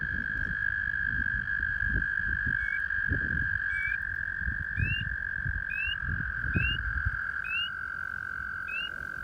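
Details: Male toads give long, steady, even-pitched trills to attract females, which leads to mating. Rising peeps come alongside from a spring peeper, a quarter-sized frog.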